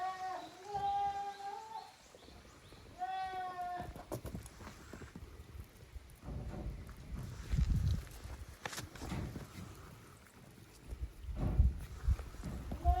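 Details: Goat kids, the young of Koharu and Okayu, at play in two teams on a Japanese goat farm's exercise ground, 13 June 2023; two clear wavering bleats open, then low rumbling, thumping noise of movement.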